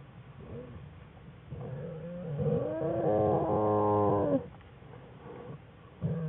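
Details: Wild American black bear cubs in their den with their mother, filmed on February 21, 2013 for a bear research study: soft grunts build into a loud, rapidly pulsing, buzzy harmonic cry lasting about two seconds, then quiet grunting.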